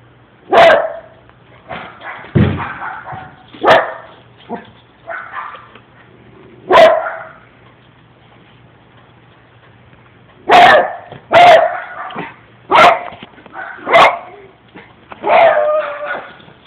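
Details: Pet dog howling and barking indoors: about ten loud, voiced bursts spread irregularly over the recording, some drawn out into short wavering howls, others clipped barks, with quiet gaps between.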